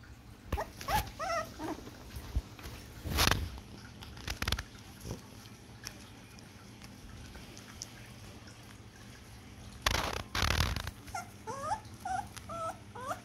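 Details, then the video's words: Four-week-old poodle puppy, at the age when it can start being introduced to food, giving short high wavering whimpers and squeaks in small bursts, with loud knocks and clatter between them. "poodle umur 4 minggu"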